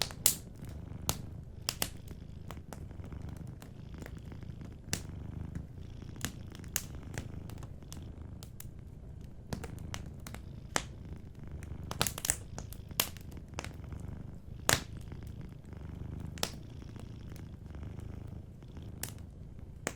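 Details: A sleeping cat purrs in a steady low hum while a fireplace crackles and pops frequently, the bright snaps of burning wood scattered throughout over the soft rhythmic purr.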